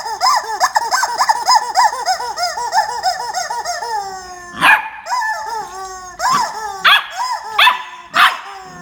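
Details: During a scuffle with a chicken, Jarvid the corgi gives a fast run of bouncing, arched harmonic yelps for about four seconds, then several loud, abrupt barks spaced about a second apart.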